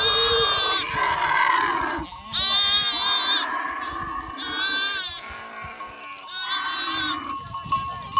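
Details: Livestock at a drought relief visit to farmers in Bhadaro village, Tharparkar, with loud quavering goat bleats coming in bursts about every two seconds over constant bell ringing and a busy farmyard murmur.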